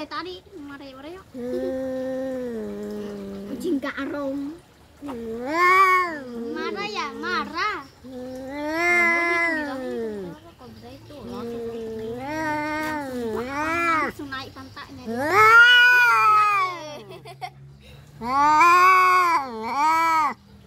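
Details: Domestic cats fighting: long wavering yowls rising and falling in pitch, several overlapping howls in bursts with short gaps, growing louder and harsher toward the end.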